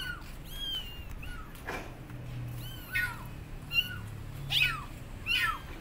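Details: Abandoned kittens on a gate meowing loudly to call their mother cat; several arched meows of varying pitch come at uneven intervals over a faint low hum.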